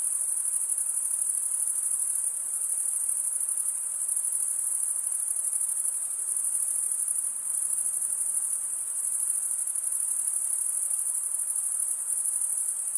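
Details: Chirping crickets make a constant piercing high-pitched drone of rapid pulses, even in level from start to finish, with a light hissy wash underneath and nothing else audible.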